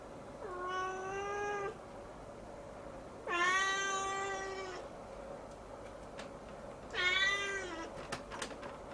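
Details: Siamese kitten staring up at the ceiling and crying on and on, three long drawn-out harmonic meows of over a second each, rising then falling, separated by pauses with faint clicks and a steady indoor hum.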